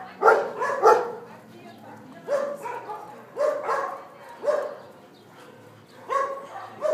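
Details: Dog barking in a Sevilla, Spain shelter holding 600 dogs: a loud double bark, then spaced, lower barks roughly every second, with quieter background barking and faint voices between.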